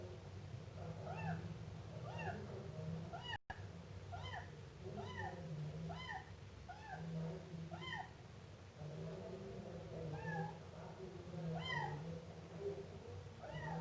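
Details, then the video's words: Siamese kitten meowing: high, arching meows repeated steadily about every three-quarters of a second, with a brief break near the middle, over a constant low hum. "gato miando filhote siamês"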